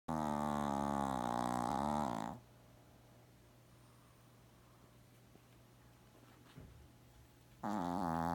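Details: Gaku, a Shih Tzu, sound asleep and snoring loudly like an old man. A harsh, rattling two-second snore is followed by five seconds of quiet room hum, then the next snore begins.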